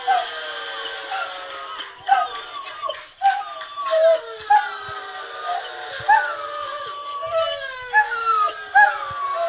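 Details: Pet Doberman straining to howl, a drawn-out series of wavering, falling tonal wails with rich harmonics, broken by brief gaps and sharp yelping onsets roughly every second, steady and loud throughout.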